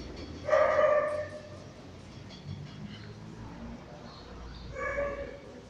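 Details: Poodle during a grooming session: two loud, short barks, one near the start and another near the end, with quiet room noise and faint speech between them.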